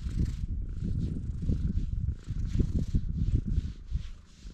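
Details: Stray cat on Tashirojima, Japan's Cat Island, greeting a guest on a table bench at a guesthouse, recorded with a GoPro HERO8; a loud, low rumbling purr in uneven pulsing bursts, dropping off briefly near the middle.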